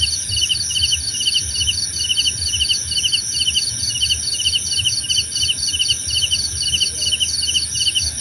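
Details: Cricket chorus with one voice giving short pulsed chirps about 140 times a minute, laid over a quicker, higher trill and a steady piercing whine; faint low background rumble.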